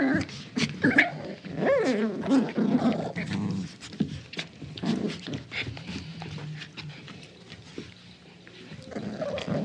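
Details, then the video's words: Small dog at play in a tug of war game, low rumbling growls interrupted by a rising whiny note near the start, then steadier grumbling with scuffling noises underneath. "Small Dog Plays Tug Of War Sound Effect"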